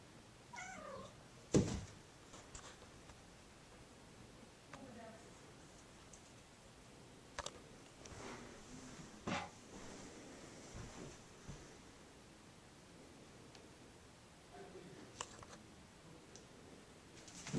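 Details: Boots, a five-month-old female kitten weighing five pounds, attacks her favorite laundry hamper indoors; a short falling meow with clear harmonics opens, followed by a sharp thump, then a faint softer cry and scattered knocks and rustling in a quiet room.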